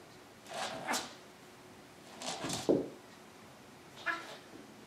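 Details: Maine Coon in a home shared by ten-year-old Triton and kitten Alexander: three soft, short meows spaced about a second and a half apart against a quiet indoor background.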